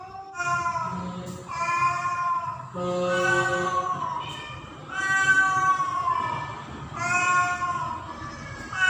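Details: Female domestic cat in heat, recorded by the owner during mating season, going in and out calling for a male cat: long, drawn-out harmonic yowls, about five in nine seconds, each rising then sagging, with low background hum.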